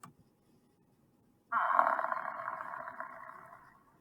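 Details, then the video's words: An African (Cape) buffalo gives a single drawn-out, hoarse bellow that fades away after about two seconds. "let's listen to the sound of an african buffalo"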